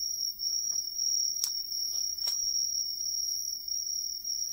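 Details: A Hexacentrus katydid (umaoi) in the satoyama countryside of Ehime, Japan, sings a steady, high, shrill trill with a couple of short dry clicks.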